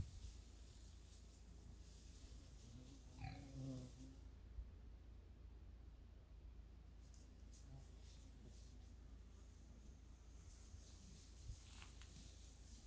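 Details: Wild boar in a forest, encountering a man: a single short, rough oinking grunt rises briefly early on, then quiet forest with a steady high insect hum and faint rustling.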